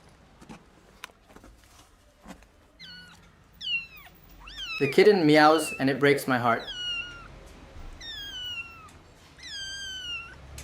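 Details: Rescued abandoned kitten, left two days in -11°C snow; a run of high, downward-sliding meows repeated roughly every second, interrupted midway by a person talking, with soft tapping sounds early on.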